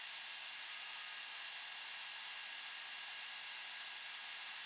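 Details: Allard's ground cricket (Allonemobius allardi) singing in a suburban backyard in Montoursville, Pennsylvania, about 1 pm on August 9, 2016, recorded with a shotgun microphone: a very high, steady pulsed trill, about four pulses a second, unbroken throughout.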